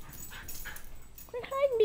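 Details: Two young dogs, a four-month-old Mini Bull and a fifteen-month-old Toy Fox Terrier, wrestling and playing; after a person's speech comes a short, high, harmonic whine sliding downward near the end.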